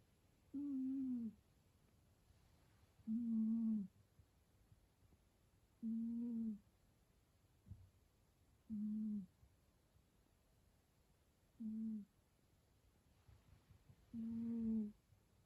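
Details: A cat snoring: a voiced, hum-like tone held about half a second, repeated six times at roughly three-second intervals, with near silence between breaths.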